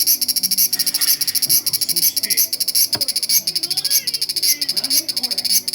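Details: Large brown cicada recorded on 1 September 2020. It gives an intense, shrill, rasping drone that throbs in quick, even pulses the whole time. Soft low background sounds and a brief knock can be heard beneath it.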